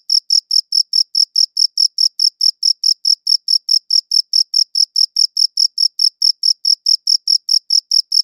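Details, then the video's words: Steady run of shrill cricket chirps, evenly spaced at about four per second, each one short and crisp, with a clean, quiet background and a good audio recorder used. "Cricket Chirping Sounds"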